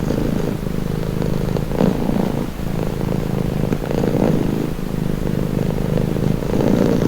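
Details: Cat purring for relaxation, a continuous deep vibrating rumble with gentle rises in loudness as each breath is drawn, steady from start to finish.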